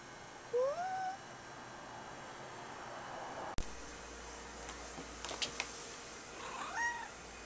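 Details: Domestic cat meowing indoors: a short, faint, rising meow near the start, a sharp click midway, then a few soft scuffs and a quieter, higher meow near the end over steady room hiss.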